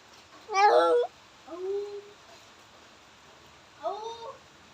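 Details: A cat calls out while defecating. It gives a loud, harsh, strained cry, then two softer, moaning wails that slide downward, with near-silent pauses between them indoors.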